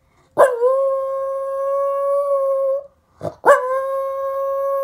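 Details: Domestic dog howling along with a city's monthly test siren, held on the first Wednesday at ten o'clock: two long, steady, even-pitched howls, each opening with a short rough onset and lasting about two and a half seconds, split by a brief pause.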